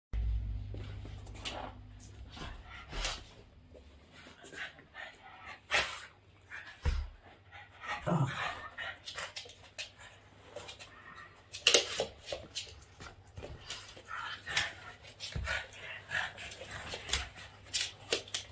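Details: Boston Terrier playing with its owner's hands: short, irregular snorting and grunting bursts scattered through the recording, with occasional soft human voice and handling noises in between.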